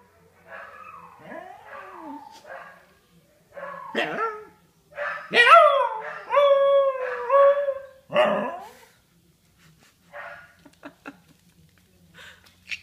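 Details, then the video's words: Scottish Terrier howling along with neighbouring huskies in a daily howling session; mixed wavering howls and yelping notes, loudest sustained howls in the middle, then fading to quiet scattered yips and sounds. "Cute Scottish Terrier howling"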